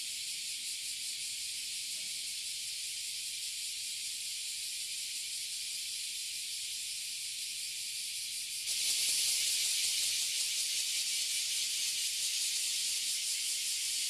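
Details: A tree crowded with oily and bear cicadas in Toyohashi City, Japan, insects that emerge every year. A steady, hissing high drone runs on, then swells abruptly louder and harsher for the final seconds.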